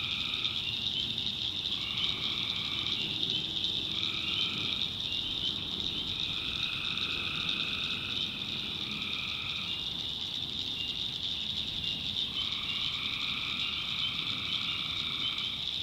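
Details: Tree frogs at night in a backwoods swamp of North Carolina: bursts of trilled calls, some brief and some lasting around two seconds, rise over a ceaseless high-pitched chorus and a low background murmur.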